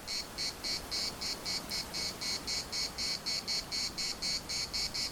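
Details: Cicadas in the municipal park of Larnaca sing in a steady chorus: rapid, regular buzzy pulses, about four per second, high and hissing, running without pause through the whole stretch over a faint low background rumble.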